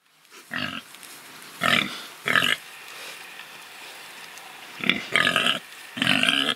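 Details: Pigs kept free rather than slaughtered, rooting and truffling: short harsh grunt-squeals in clusters, a few near the start, a pair mid-clip, then three more close together after a quiet pause.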